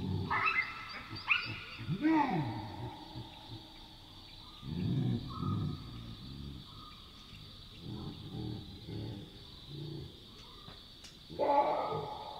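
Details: Wild Chacma baboons at night in the African bush give loud alarm barks, the kind heard when a nearby predator alerts them. Harsh barks open the clip, low grunting bursts follow, and a final loud bark comes near the end, over a constant high drone.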